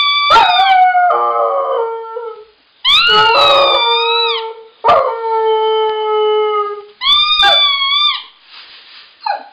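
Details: Sustained husky howls, four in all, each opening on a higher pitch and then sliding down to a steady, drawn-out tone, with brief breaks between them. The breed is given as Siberian Husky.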